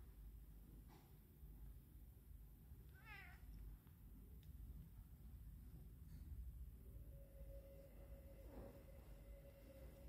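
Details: Domestic cat being treated for a heart condition chatters at its favorite toy, giving a brief wavering, trilled mew midway through, with soft background rumble and a steady household hum.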